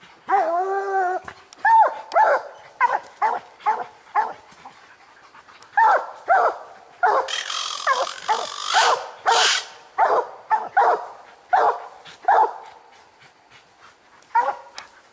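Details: Hunting coon dogs Lucky, Mossie and year-old Star bay at a treed raccoon: a wavering howl, then dense overlapping barks, with a burst of rustling noise midway and a man urging Lucky on.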